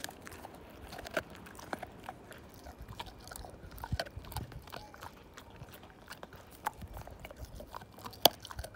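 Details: Slim, a Siberian Husky, tearing a bone down to nothing: scattered dry cracks and ticks of teeth on bone at uneven intervals, with a single sharp loud crack near the end.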